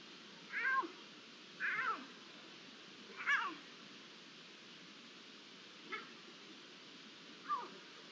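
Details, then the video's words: Iberian lynx calling on 11 September 2023, five short, high, meow-like cries about one to two seconds apart, the later ones fainter, against a steady faint hiss. "La llamada del lince"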